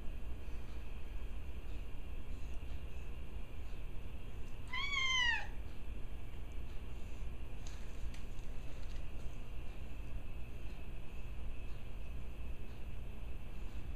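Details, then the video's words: Domestic cat, one of the pair Benjy and Gracie, calling while playing with the other cat. A single short tonal cry, rising then falling and lasting under a second, stands out over a steady low hum, with faint clicks afterward. "Cat barks at 2:08!"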